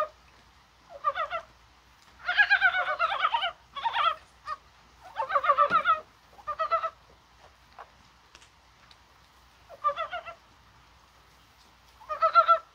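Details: On a mild, rainy January 21st, Korean brown frogs call, perhaps during spawning: repeated clucking, gobbling croak bursts from several overlapping frogs, some long and dense, others short, with brief quiet gaps between.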